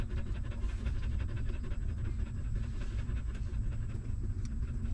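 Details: Hungry puppy suckling milk from its stray mother: continuous quick low sucking rhythm, with a few faint high ticks late on.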